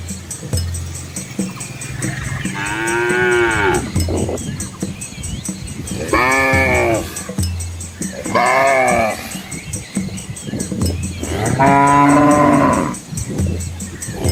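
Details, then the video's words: Dozens of village cows and calves moving along a rural Asian road through green rice fields; four rising-and-falling harmonic moos, some higher and bleat-like, with deep low grunts between and a persistent high ringing tone. "Asian Village Cows on a Scenic Country Road | Calm Farm Life - Animals - Cow Sounds"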